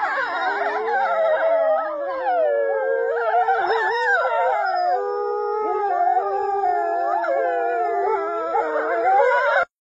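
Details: Chorus of wolves howling together, many sustained wavering tones layered and bending in pitch, continuous for nearly ten seconds before stopping abruptly.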